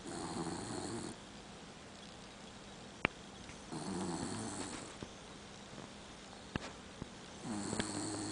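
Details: Asleep dachshund mix named Daisy snores in slow, rough, low breaths about every three seconds, with a few sharp clicks in the quiet gaps between them.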